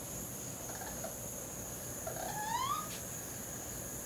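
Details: One clear rising, whistle-like squeal with stacked harmonics from baby raccoons looking for their mother, preceded by faint softer squeaks against a constant high-pitched hum.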